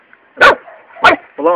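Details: Luna, a three-month-old Labrador Retriever puppy, barks twice while playing with a toad, two sharp bursts about half a second apart, followed by a man's voice.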